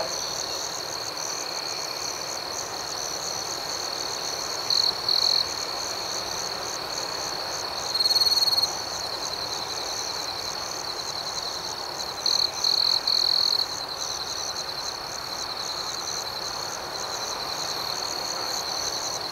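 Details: At night, crickets keep up an unbroken high trill with rhythmic pulsing above it. Several louder, closer chirp bursts rise out of the chorus around five, eight and thirteen seconds in.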